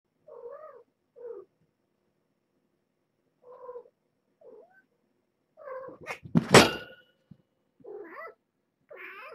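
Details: Domestic cats at Purrfect Pals, a year-old rescued stray mother, Nala Se, with her collared kittens born June 21st: short mid-pitched mews in small bursts, then a loud crash against a fence, then more mewing.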